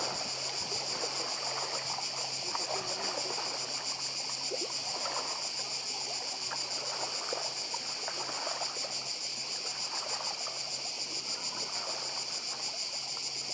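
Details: Cicadas on Badija island, Croatia, shrilling in a dense continuous chorus with a fast pulsing texture, steady and high, over the soft wash of the sea and faint low hum.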